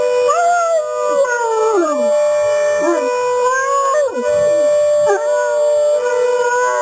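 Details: Two Great Danes, one bigger than the other, howl in chorus along with a steady electronic alarm tone, their drawn-out voices bending up and sliding down in overlapping waves.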